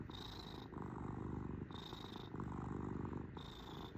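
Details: House cat purring close up, a deep continuous vibrating rumble with alternating inhale and exhale phases roughly every second, a faint high whistle-like tone riding on some breaths.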